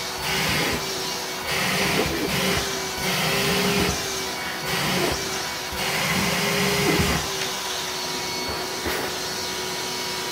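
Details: Loud vacuum cleaner droning and surging on and off in a small room, with no animal calls.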